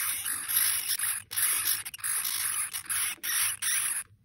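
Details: Djungarian hamster pups about two weeks old, eyes just open, give harsh, hissing shrieks in rapid bursts after their mother was removed. One began and the rest joined in a chain alarm.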